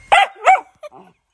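An Italian Greyhound gives two sharp, high yapping barks in quick succession, then a softer short whine.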